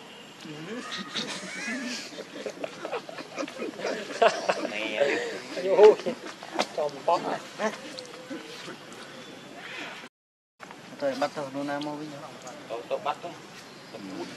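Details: Hungry baby monkey Rainbow crying to its mother for milk: harsh, wavering wails with strong harmonics, rising and falling in uneven bursts, a short break, then more drawn-out strained cries among rustling noise.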